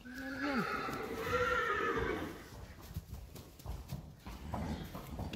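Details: A one-day-old Friesian horse filly, in April 2019, whinnies: a wavering neigh that rises and falls sharply in the first half second, then a longer quavering call lasting about two seconds, followed by quiet shuffling and rustling.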